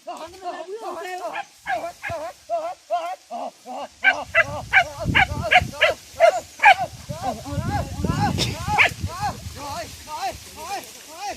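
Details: Pack of village dogs hunting wild boar in the traditional way with dogs and spears: steady runs of high, arching yelps repeated a few times per second, with rustling movement through vegetation and brief human voices.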